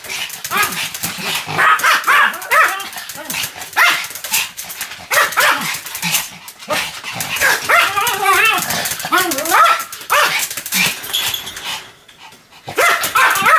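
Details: Sam the Pomeranian barks on and off in dense runs of shrill yaps, with a stretch of wavering, whine-like tones in the middle. A short near-silent pause comes before the barking resumes, and a voice is heard at times.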